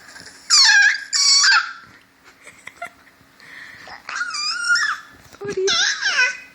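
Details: Frito the pet dog vocalising indoors in short bursts of high, wavering whines and yelps, some bending upward then sliding down, in about five separate bursts with quiet gaps, while a person asks what the new sound means.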